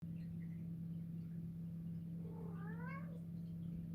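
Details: A white cat, female, meows while watching something on the ceiling, standing on her back legs and tilting her head; one harmonic, rising then falling meow lasting about a second, over a steady low hum.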